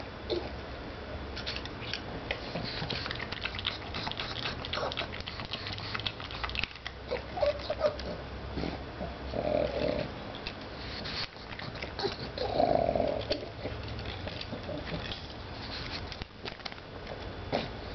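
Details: Pet pug named Nibbles, also called Bennie, a female, making silly snorting and grunting noises while eating kibble one piece at a time indoors; crunchy chewing clicks and soft nasal snorts, louder grunts near ten and thirteen seconds.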